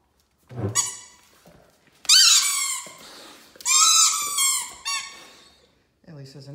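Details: A Great Dane gives long, wavering, high howls during a morning sing-along with his squeaky ball, while a second Great Dane squeaks a toy alongside and a person speaks briefly.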